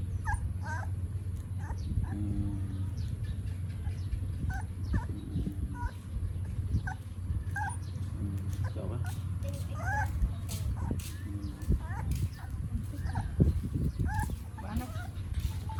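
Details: Morning feeding in Siem Reap, Cambodia: puppies drinking milk let out frequent short, high squeaks and yips, scattered irregularly throughout, some bending up or down in pitch, above a constant deep background drone.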